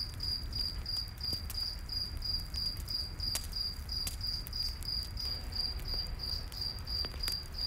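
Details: High-pitched cricket chirps, evenly spaced and quick, continue through a night forest scene while a campfire crackles and pops and a low background rumble persists.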